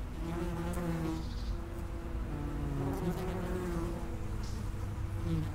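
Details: Dense, close humming of common wasps at the mouth of an underground nest, layered buzzes sliding up and down in pitch, loud and steady throughout.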